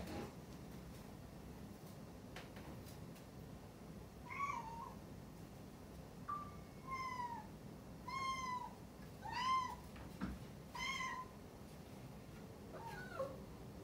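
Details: Rescued one-year-old white-and-tabby (sabashiro) cat Rucola meowing for attention while her owner works shut in another room; six short meows, each arching then falling, over about ten seconds in quiet indoor surroundings, no music.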